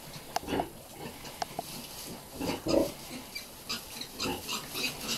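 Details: Hampshire x Pietrain weaners, piglets from a Hampshire cross sow and pedigree Pietrain boar, giving scattered soft grunts and a few short squeaky notes against steady hissing background noise.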